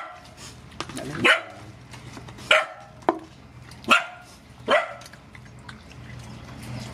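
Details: Rescued mother dogs and puppies at feeding time give sharp, short barks, about five spaced irregularly one to one and a half seconds apart, over a low steady background hum.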